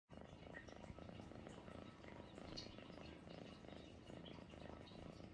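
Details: A pet cat purring steadily, a continuous low rumbling throb with faint soft background noise.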